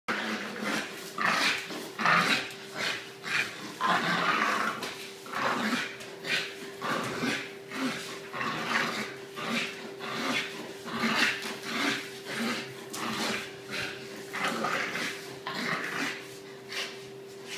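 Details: Miss Madam, a two-year-old 25 kg female English Bulldog, indoors, snorting and grunting in rough rhythmic bursts about every second, noisy and gravelly, over a steady low electrical hum.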